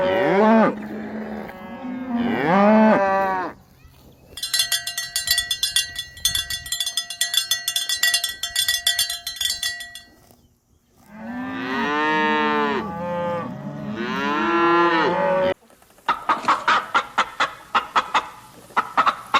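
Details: Cow mooing in drawn-out, harmonic calls that rise and fall, in bouts at the start and again midway, with a bright metallic bell ringing steadily in between and sharp clattering sounds at the end.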